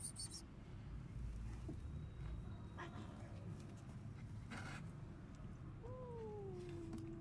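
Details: Abandoned kitten left freezing in snow for two days at -11°C, then rescued, gives one drawn-out meow that slides downward near the end, rising above a steady low rumbling background noise.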